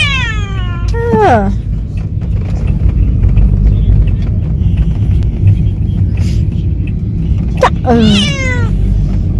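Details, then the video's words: Cat on its first sightseeing trip meows twice, a long falling wail near the start and a shorter bent meow near the end, with heavy low engine-like rumble throughout. "Talkative cat travel for the first time"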